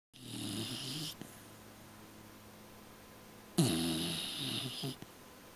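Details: A pet dog sleeping and dreaming indoors, snoring: two rough, breathy snore bursts about two and a half seconds apart, each lasting roughly a second, with a low rumbling base and hissy upper noise, quiet room between.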